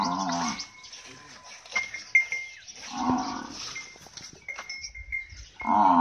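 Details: Nili-Ravi buffalo offered for sale in Pakistan, giving short harmonic lowing calls at the start, around three seconds and at the end, with faint thin tonal chirps and clatter in between.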